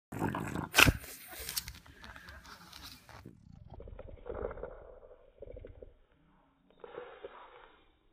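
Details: A French Bulldog, venting its frustration on a Funassyi mascot, gives throaty, rumbling grumbles in short bursts after a sharp opening clatter.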